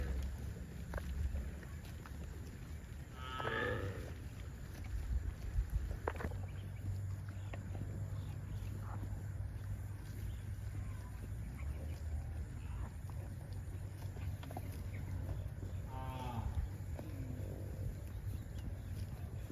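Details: Cattle mooing while heading to a rural field: two drawn-out harmonic moos, one near three and a half seconds and another near sixteen seconds, over steady low rumbling background noise.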